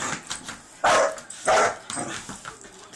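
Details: Three-month-old Irish Wolfhound puppy named Poncho barking at a broom or vacuum cleaner: two strong, rough barks half a second apart, then softer yips trailing off.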